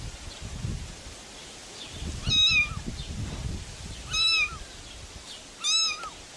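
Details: A cat gives three high, drawn-out meows spaced about two seconds apart, each rising slightly then falling, over a low rustling outdoor background.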